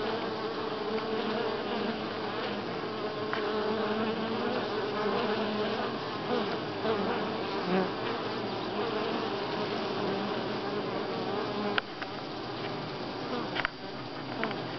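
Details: Continuous hum of a crowd of honey bees at Grass Lake Sanctuary, week six, July 25, 2011; layered buzzing tones hold steady, with a couple of sharp clicks near the end.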